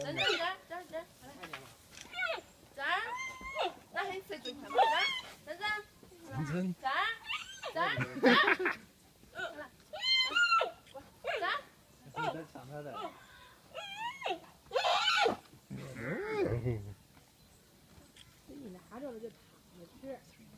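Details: Three infant giant pandas being fed at the Chengdu panda centre squeal in excitement over their biscuits: high, wavering, harmonic cries rising and falling in bursts, mixed with people talking nearby.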